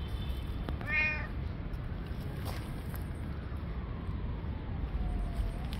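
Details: Stray street cat, very hungry, giving a single brief harmonic meow near the start, then quiet, with steady low traffic-like rumble throughout.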